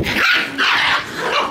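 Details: Shiba Inu puppy running around energetically outdoors, giving two sharp, bright barks in quick succession, each with a rough, noisy tone, followed by a softer third yip.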